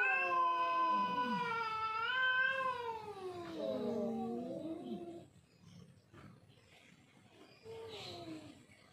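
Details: Two domestic cats in a territorial fight, one giving a long, wavering, rich caterwaul for about five seconds while the other answers with lower growling moans, then a short fading yowl.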